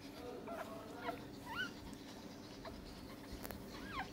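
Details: Newborn Pomeranian puppies, one day old, from a litter of five born to a black mother, giving faint high squeaky whimpers: short rising-and-falling peeps scattered over a few seconds, over a low steady hum and one sharp click.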